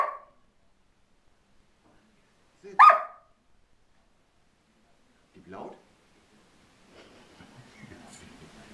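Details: Border Collie barking on command during obedience training, told to sit and to speak; one sharp, loud bark near three seconds with fainter short bursts before and after, soft rustling at the end.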